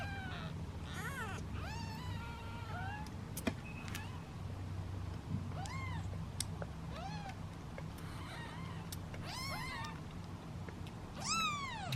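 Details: A basketful of seven hungry kittens waiting to be fed keeps up frequent high meows, some short and rising, some falling, scattered across twelve seconds with occasional clicks and knocks underneath.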